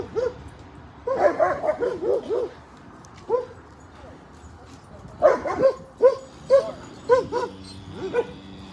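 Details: Siberian Huskies playing and swimming at a lake in a Colorado dog park during a road trip; short yelping barks and yips in bursts, a run of five quick calls, then single barks about every half second, with a person speaking.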